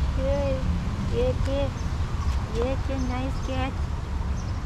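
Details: A female tuxedo cat, black and white, answers a person calling to it. Short arched, slightly nasal meows come in a quick series, mixed with an affectionate human voice and low background rumble.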